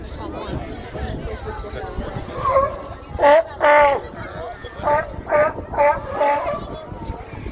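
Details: Sea lions calling: a run of six loud, harsh, harmonic barks in quick succession, each about a third of a second, over a background murmur of people talking.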